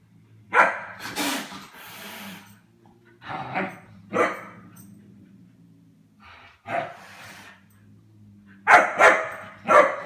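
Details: German Shepherd puppy tempting fate by playing with cats: loud, clipped barks repeat irregularly, some paired close together, mixed with broad noisy bursts over a faint low background hum.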